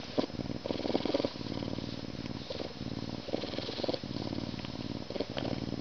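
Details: Male Canada lynx kept as an educational ambassador animal purring loudly as he gets scratched ahead of mealtime; coarse, pulsing low purr in rhythmic waves, broken by short breaths and a few soft clicks.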